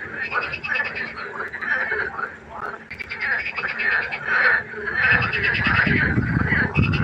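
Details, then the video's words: Frogs croaking at night by a pond, a busy chorus of rattling, pulsed croaks repeated roughly every half second, growing louder and lower toward the end. "1 Stunde Froschkonzert. Frosch Geräusche quaken."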